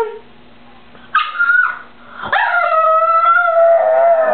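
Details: Pug named Milo, indoors and terrified of a slippery clean bathroom floor between him and his toy, lets out a short high yelp, then a sustained, wavering, howl-like whine of nearly two seconds while his owner coaxes him to fetch it.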